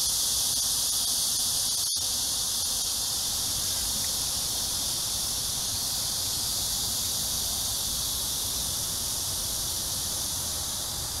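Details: Cicada chorus at dusk in Amsa Ecological Park on the Han Riverside, Seoul, South Korea, during a July 2021 heat wave: an unbroken shrill, hissing drone with one sharp click near the start.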